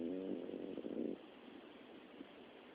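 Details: Sleeping Miniature Dachshund, a dog said to snore both day and night, giving a rough, rattling snore that fades after about a second into quiet background hiss.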